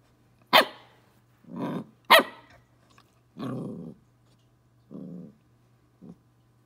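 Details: A 12-week-old Pembroke Welsh Corgi puppy gives sharp, high yips alternating with short, rough growly barks while confronting a bug.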